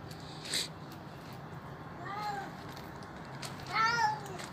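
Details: An old, hungry feral stray cat at a doorstep, begging for food and crying while eating. Two clear, arched meows rise and fall about two seconds apart over a low background hum.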